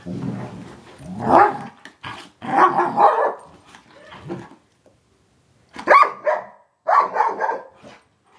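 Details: Black and gray Giant Schnauzers at play, letting out gruff growls mixed with short harsh barks in loud bursts, separated by brief silences, with a sharp outburst near six seconds.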